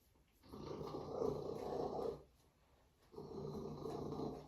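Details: Binah, a female Savannah cat, purring loudly: a coarse, rumbling drone in two long bursts of about one and a half seconds each, split by a brief quiet pause for breath.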